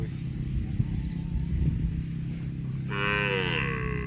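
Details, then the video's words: Cow eating grass, giving one long, strong moo in the last second, harmonic and fairly steady, rising slightly at the start, over a constant low rumbling hum. "CUTE AND FUNNY COW SOUND EATING GRASS COMPILATION - COW MOOING- CON BO"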